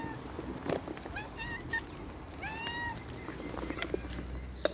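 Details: Cats outdoors in nature meowing: a few short, bent meows early on, then a longer, drawn-out, clearly harmonic meow in the middle, over steady outdoor background noise.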